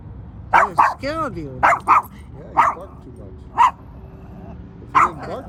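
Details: At an air museum, a male dog eager to play with two birds under an aircraft wing gives about seven short, mid-pitched barks, some in quick pairs, over five seconds, with people talking between them.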